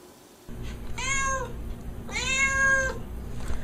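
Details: Domestic cat giving two drawn-out, falling meows about a second apart, each with a rich stack of harmonics, over a steady low hum indoors.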